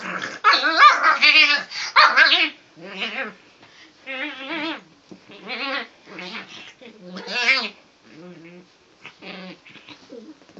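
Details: Japanese Chin dog being teased, answering with bursts of wavering, yodel-like whines and moans that rise and fall in pitch, separated by brief pauses, with a person's voice speaking Danish nearby.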